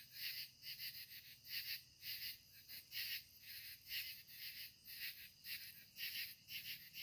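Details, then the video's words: Evening katydids at sunset, several insects rasping together in high, hissing bursts, often in close pairs about every second, forming a continuous pulsing chorus over a quiet background. "the sounds of evening katydid's"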